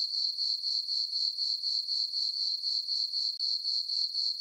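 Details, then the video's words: Night-time cricket chirping from a farm meadow in summer under dark, moonlit skies; high, ringing pulses repeat steadily around four per second, with one brief dip near the end. "Cricket chirping sounds for sleeping"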